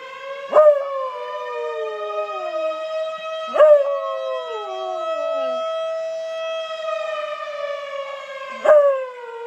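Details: Pet Bluetick Coonhound howling along with sirens, three howls at roughly three-second gaps, each opening with a loud yelp-like onset and then sliding downward beneath a continuous, droning siren.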